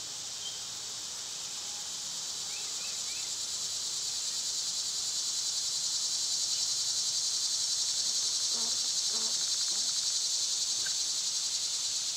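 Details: Cicadas in summer, loud this time of year, with birds and squirrels nearby: a steady, dense, high-pitched buzzing drone that swells slightly in loudness, with a few faint short chirps from other creatures underneath.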